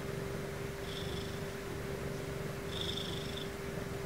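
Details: Ragdoll cat Sumomo purring at bedtime during her sleep routine at home: a soft, continuous low rumble with two faint breathy swells, over a steady electrical hum.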